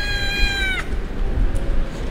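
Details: Abandoned kitten crying in the street: one long, steady, high meow with rich harmonics that drops sharply at its end, over low outdoor rumble.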